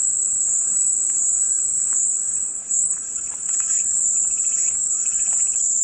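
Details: A dense, high-pitched cicada whine fills every second, easing slightly around the middle before swelling back, with faint chirping specks below the unbroken drone.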